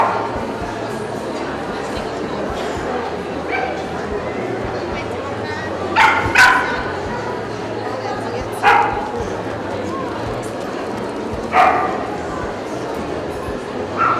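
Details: Barks from an American Staffordshire Terrier at a Kyiv dog gathering in 2015: isolated loud woofs and a close double bark every few seconds, set against continuous human voices and outdoor crowd noise.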